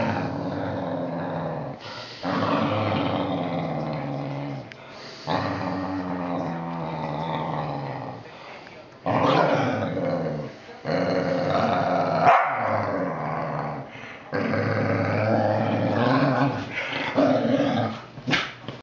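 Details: Sustained deep, throaty whippet growls in several long stretches of a few seconds each, separated by short quiet gaps, with louder snarled surges near the end.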